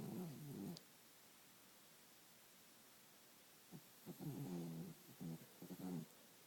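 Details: Sleeping dog snoring: rasping, buzzy breaths in short bursts, one at the start then a cluster of three or four near the end, separated by quiet pauses.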